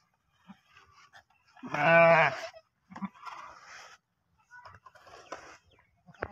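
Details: Goat during birth of two kids; a single loud wavering bleat lasting under a second, followed by quieter rustling, low murmured speech and handling noises.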